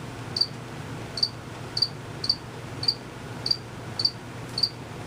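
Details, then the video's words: Crickets out of sight, chirping long before and after recording: eight sharp high-pitched chirps evenly spaced a little over half a second apart, with a quiet steady low hum beneath. "Cricket Chirping for 5 minutes."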